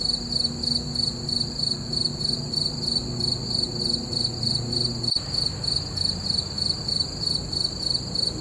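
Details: Crickets calling on a full-moon night, steady rapid high-pitched chirps in a continuous rhythmic pulse, one brief sharp click midway, low rumble underneath.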